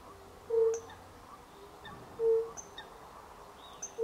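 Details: Recorded at the end of March 2024, a European fire-bellied toad gives brief clear low 'unk' notes nearly two seconds apart while a small bird adds thin high chirps in the background.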